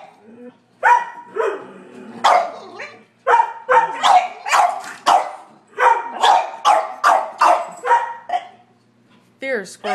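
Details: Three dogs, a Sheltie, a Collie and a French Bulldog, bark at a squirrel on a rainy March day; loud sharp barks come in rapid bursts, over a dozen in ten seconds, with short pauses and a person talking between them.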